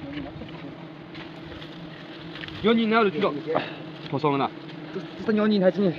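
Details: Honey bees buzzing around a hive during traditional harvesting in Nagaland, a risky job: a steady low drone with a clear hum and overtone runs throughout, while human voices break in repeatedly, loudest in the second half.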